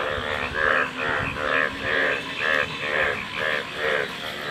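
Frog calls come in rhythmic, rasping pulses with a nasal, buzzy quality, repeating about twice a second. A low rumble sits underneath throughout.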